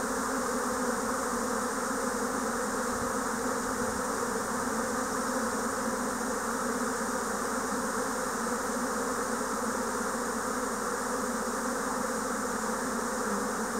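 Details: A spring 2024 swarm of Japanese honeybees: massed wingbeats form an unbroken, even drone, a deep hum beneath a bright hissing buzz, holding steady throughout.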